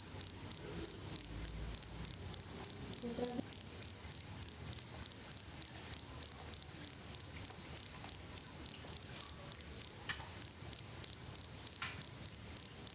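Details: Cricket sound for teaching songbirds and as bird therapy, a long even run of sharp high chirps about three per second, very regular, with a couple of brief soft clicks and a faint low rumble behind.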